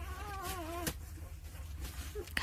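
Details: Jindo puppy, one of nine aged two days, in the care of its mother Sarang: a short wavering whine in the first second, then near quiet with faint clicks and a low background hum.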